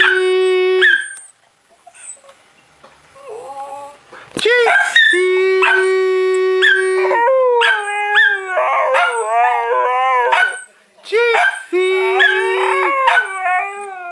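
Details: Pet Siberian Husky howling on cue as it is taught to sing: long steady tones, then wavering, rising-and-falling yodel-like howls in several bursts separated by short pauses.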